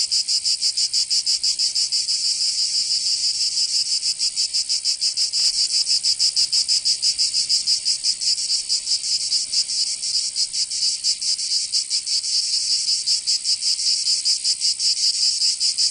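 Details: Cicadas in a southern French summer in Provence, a sustained high, hissing buzz with fast shimmering pulses that blur and overlap, as if several insects sing together, steady for the whole stretch.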